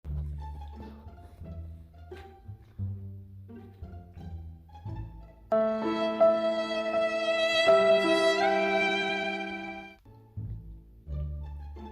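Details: Bowed strings and plucked bass play a lively tune that swells into long sustained violin notes before the rhythm returns, with no animal sound heard.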